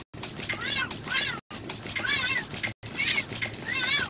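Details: Domestic cats meowing in three short cut-together segments. Each segment holds high, arching mews that rise then fall. There is faint background noise between the calls.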